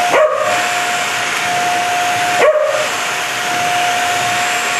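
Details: Tiara, a Corgi who wants to play with the vacuum cleaner, gives two short, sharp barks about two seconds apart over the loud, steady drone and high whine of the running vacuum.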